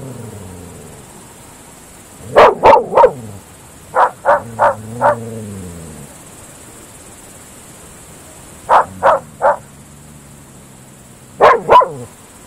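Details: Groenendael Belgian Shepherd dogs barking at night across open fields, loud barks in clusters of three or four separated by silences, each cluster trailing a low lingering echo over the open ground.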